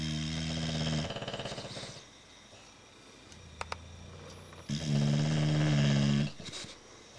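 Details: Bulldogs snoring in their sleep on March 4, 2010: a deep, buzzy snore fades into quiet, rattly breathing and a few sharp clicks, then another loud, droning, harmonic snore swells and trails off into softer snuffling.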